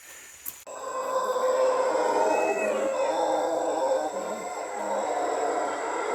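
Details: Howler monkeys up in the trees of dense rainforest along Pipeline Road, Panama, roar together in a deep, rolling chorus that swells and carries on without a break; a brief rustle comes just before.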